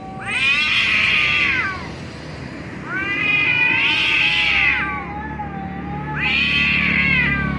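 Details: Two cats making funny noises: three long, loud, wavering yowls with rich harmonics, each about one and a half seconds, spaced roughly three seconds apart, with a lower drawn-out moan between them.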